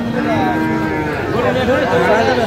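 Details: Lowing at a Sirajganj cattle market in Bangladesh where a Sahiwal bull calf is sold in August 2025; layered, wavering moos from more than one animal blend with market chatter.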